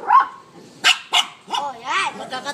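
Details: Two Shih Tzus, pet dogs named Macky and Hershey, vocalising back and forth: two short sharp barks, then a wavering, rising-and-falling howl-like yowl, with people talking in the background.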